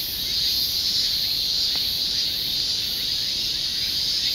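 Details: Continuous shrill insect chorus, a dense unbroken high buzz with faint rhythmic pulsing overtones above, steady in loudness throughout.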